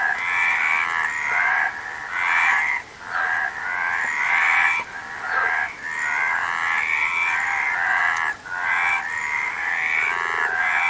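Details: Several frogs croak together in a continuous rasping chorus, rhythmic throbbing bursts overlapping one another, with brief dips in loudness near the third and eighth seconds.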